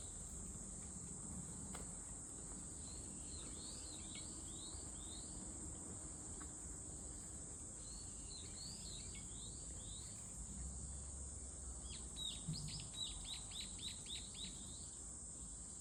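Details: Cicada calling in bursts: clusters of swooping chirps, then a faster stuttering series near the end, with a steady high ringing drone throughout and a faint low hum beneath.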